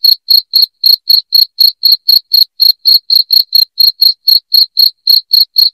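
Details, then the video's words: A cricket's loud, piercing chirp, meant to repel household rats, repeats in an even series of brief high pulses, around four each second, on an otherwise silent background. "SUARA JANGKRIK NYARING"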